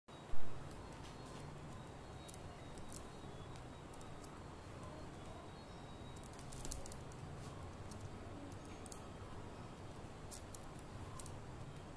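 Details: Only a low rumble of background noise with a few soft clicks and taps, and no bird call.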